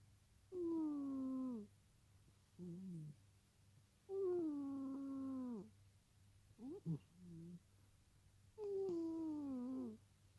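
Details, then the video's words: Domestic cat deeply asleep beside its owner's legs, indoors in a small room, giving drawn-out tonal moans that slide downward, four main ones spaced a few seconds apart with shorter squeaky noises between, over a low steady hum. "Kisu the cat snoring whilst asleep"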